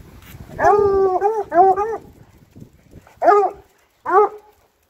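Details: Bluetick coonhounds on a walk through town, howling as they go: drawn-out, mournful bays with a slight upward bend, sounding in bursts of about a second, then two shorter howls after a pause.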